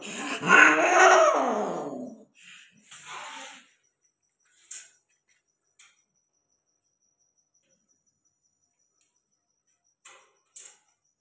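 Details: Persian cat mating with a peke male gives a loud harmonic wail for about two seconds, sliding downward in pitch, then a brief rough follow-up cry; afterwards near silence with a few faint clicks.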